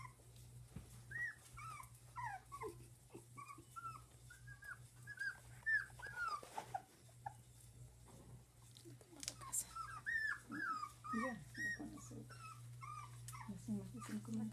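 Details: One-month-old dachshund puppies whimpering: high, squeaky arched whines in irregular bursts, roughly two per second, some overlapping from several pups, over a steady low electrical hum.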